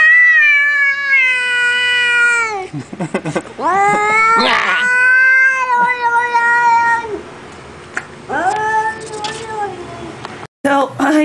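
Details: Cat giving long, drawn-out, wailing meows, each held for over two seconds and slowly falling, with a short sharp call between them and a person talking to it.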